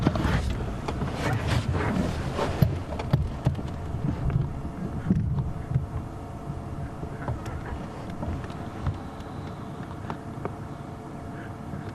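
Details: Low vehicle engine rumble and wind buffeting dominate, with scattered clicks and knocks fading to a quieter hum, and no animal voices.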